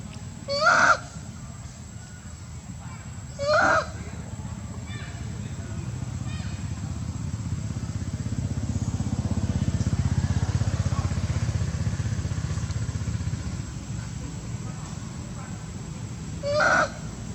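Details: Monkey mothers Briana and Briget shouting loudly to call baby Baron back: three brief harsh calls spaced about three and thirteen seconds apart, over steady engine and traffic rumble with faint human voices.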